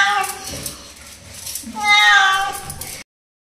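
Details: Domestic cat being bathed at home in the morning, which it dislikes: a drawn-out complaining meow that rises and then falls, after a softer earlier cry, with running water and a person speaking Hindi.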